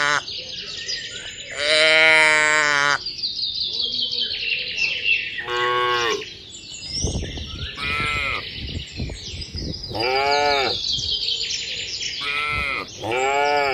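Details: Herd of tame cattle heading down a mining road to a green village, lowing repeatedly: a long moo, then several shorter, arched calls overlapping one another. Birds twitter throughout, and brief rustling and footstep noises are heard.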